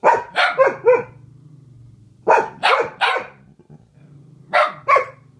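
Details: Two dogs, Pepper and Meishka, in a singing duet: groups of three or four harsh barks in quick succession, separated by a steady low growl-like hum underneath.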